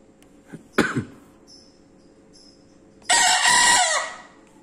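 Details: Loud crowing Bekisar 'wido': a few knocks and a brief rough sound come first, then a pause, then one hard, harsh, high crow that holds steady for almost a second before dropping off.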